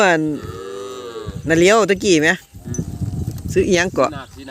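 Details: Calves separated from their mothers cry loudly, with long moaning bawls that bend up and down in pitch, several overlapping in quick bursts, and a faint low rumble between calls.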